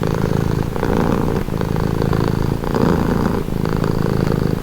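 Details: Close, steady purring of a domestic cat: a deep vibrating drone rising and easing in about four breath cycles, with small clicks at the breaks.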